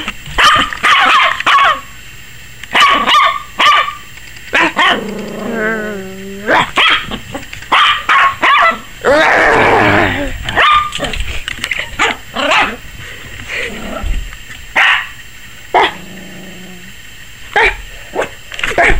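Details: Yorkshire Terrier puppy Maggie, 21 weeks old, barks like crazy at the camera that seems to frighten her; rapid high yaps mixed with a drawn-out whining growl and a longer rough bark mid-sequence.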